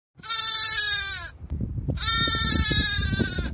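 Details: White sheep bleating: two long, strained baa calls, each over a second long and separated by a short pause, with soft rustling and shuffling underneath.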